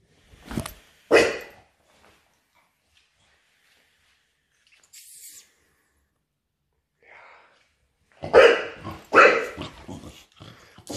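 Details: Dogs of the Patterdale, fell terrier, smooth-coated Lakeland or Estacado type playing: two sharp barks, a long near-silent stretch with faint noises, then a quick flurry of loud barks and yaps.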